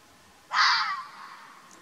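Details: Arabian fox filmed in the wild in Oman: one loud, hoarse, screaming bark, abrupt at the start and then fading over half a second, in an otherwise quiet setting.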